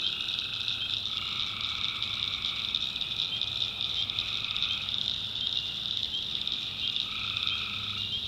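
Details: Many tree frogs in a North Carolina swamp at night, their calls blending into a constant shrill, pulsing trill, while a lower droning band fades in and out several times.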